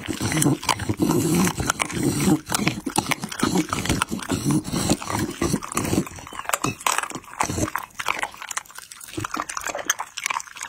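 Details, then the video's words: Pit Bull dog chewing chicken and raw meat, heavy crunching and smacking for about six seconds, then sparser, quieter bites and licks with gaps between them. "ASMR MUKBANG PITBULL Ăn thịt gà và thịt sống"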